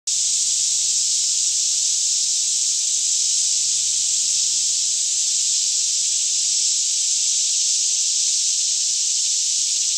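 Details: Cicadas in a daytime chorus in a lush green Kentucky forest near Franklin, about 10am with fairly still air, recorded in stereo on a Canon 5D Mk2; a dense, steady, high hissing drone runs unbroken throughout, with a faint low hum beneath.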